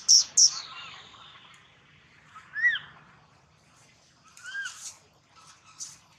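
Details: Two sharp clicks open, then a baby monkey gives arched whistled cries, one loud wail near the middle and a softer double cry later, fading into quiet.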